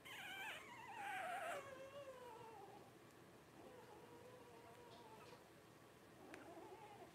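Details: Blenheim Cavalier King Charles Spaniel puppies, twelve days old, one of Paris and Spike's five-pup litter born New Year 2023; high descending whimpers at first, then quieter drawn-out wavering cries.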